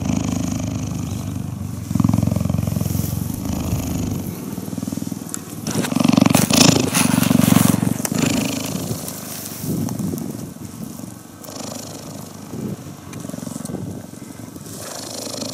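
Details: Cheetah purring during cuddling: low pulsed rumbles in two long bursts separated by a gap, partly covered by broadband background noise and rustling.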